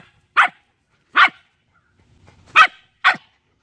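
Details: Shiba Inu screaming at a snake: four short, harsh, piercing yelps in two pairs, the first pair about 0.8 s apart, then a pause before two more in quick succession; little else heard.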